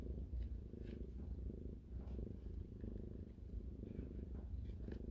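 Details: Newborn kittens, one day old, nursing beside their mother cat indoors: a steady low rumbling purr runs throughout, with faint soft rustling.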